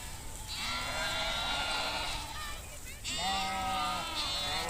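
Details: Flock of sheep grazing in nature with nomadic Kashmiri herders: two drawn-out, wavering bleats, each lasting about two seconds, heard over a steady broadband hiss of wind or background noise.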